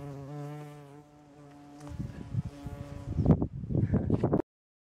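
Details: A bumblebee collecting nectar from flowering rape gives a low, steady droning buzz, followed by rustling and crackling.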